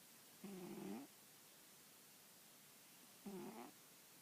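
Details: A she-cat snoozes on an old newspaper with her head on an arm. Two gentle snores, each a half-second wavering two-tone buzz, come about three seconds apart over faint background hiss.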